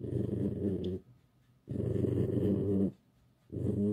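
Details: Home-kept pet fox Alice grumbling during petting indoors: three long, loud, throaty whining growls, each about a second, rich in low harmonics and separated by short silent gaps.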